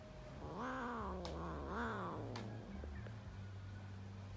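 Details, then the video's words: Playful kittens fighting; two connected warbling meows, each rising then falling, followed by a few faint clicks and a steady low hum. "Kitten fights playing"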